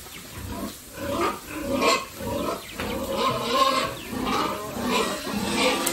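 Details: Pigs raised by a family farm for sale, making harsh, noisy squealing grunts in uneven bursts about once a second, rising and falling in loudness throughout.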